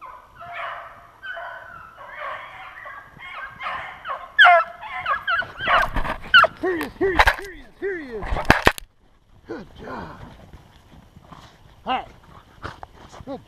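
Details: Beagles hunting snowshoe hare, recorded 2/25/16. Several overlapping, arching harmonic bays and yelps sound in quick uneven bursts, with a chorus of rougher calls early on and sharp loud cracks near the middle followed by a brief hush.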